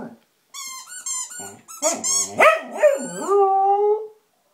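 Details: Squeaky toy sets off Blizzard the Samoyed: high squeaks from the toy open, then the dog breaks into climbing, wobbling howls with yelpy accents, ending in a held, gently falling note.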